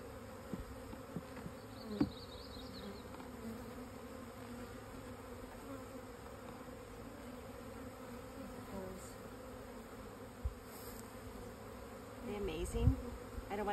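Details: Continuous low buzzing of honey bees, a dense droning hum holding steady, with a few short clicks and knocks and a louder passing rise near the end.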